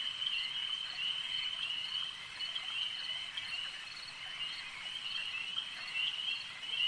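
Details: Frogs calling at a lake, a dense, shrill chorus of overlapping high trills forming a steady band, with faint pulsed notes rising and falling throughout and no other clear sounds.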